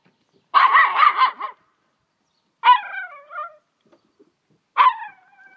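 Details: Small pet dog barking at a fish it is tearing apart: a rough, rapid multi-bark burst followed by two single barks that trail off into drawn-out whiny tones.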